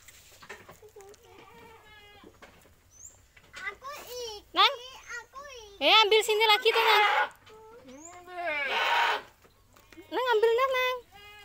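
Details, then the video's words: Village goats owned by a grandmother being fed in Indonesia; wavering, quavering bleats repeated among children's chatter and voices, with a loud burst of overlapping bleating near the middle. "kasih makan/kambing/punya Mbah/di kampung"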